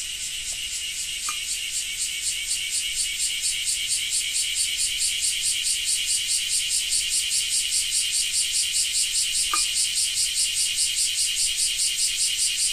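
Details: A cicada's loud, high, buzzy call pulses steadily in a fast, ratcheting rhythm in rain in Japan.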